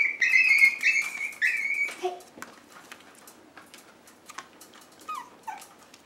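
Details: Rescue Chihuahua mix puppies; high whining cries sliding and wavering open the recording, then fall away to quieter short whimpers and yips with soft rustling, indoors.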